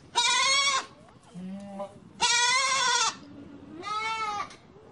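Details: Three strong goat bleats, each around half a second long and evenly spaced, bright and harmonic, with faint lower murmuring calls in the gaps.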